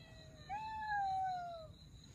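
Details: One drawn-out meow from an abandoned Russian Blue cat family being rescued. The mew jumps up at its start, then slides slowly downward over about a second, against a low background hum.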